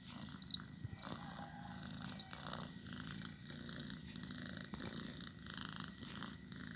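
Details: A domestic cat kept as a pet purrs continuously, a deep even buzzing rumble pulsing with its breathing, faint airy noise on top.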